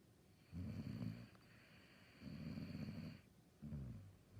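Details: A Saluki dog snoring: three low, rumbling breaths of about half a second to a second each, separated by quiet pauses, with a faint steady high whine in the background.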